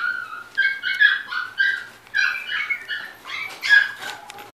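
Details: A golden retriever whines continuously, a high, wavering, nasal sound broken into quick rising and falling pulses about twice a second, indoors and with no other clear sounds.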